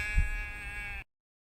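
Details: A single sustained sheep bleat of about one second, steady and nasal, over a low rumbling background, ending abruptly.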